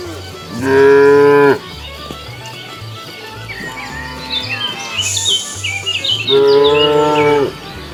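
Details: A cow wandering along a road looking for food gives two long, steady moos, with faint chirping birds between them.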